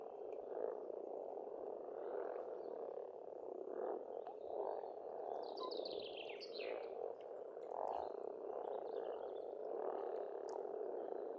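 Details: A spring frog chorus at a pond in rural Estonia keeps up an unbroken mass of croaks, joined midway by a bird's descending series of sweet whistled notes.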